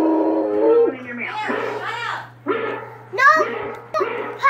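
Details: A Treeing Walker Coonhound barking at a hound on a YouTube video opens with a drawn-out, howling bay, then loud, bell-like barks every second or so, rising and falling in pitch, over a steady electrical hum.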